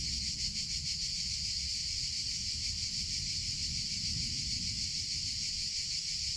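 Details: Cicadas of summer fill the air with a continuous high buzz, throbbing in quick regular pulses over a faint low rumble.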